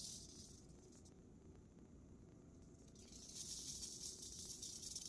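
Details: Western diamondback rattlesnake killing a mouse: a soft high buzz that swells louder after three seconds, over a low rumbling background noise.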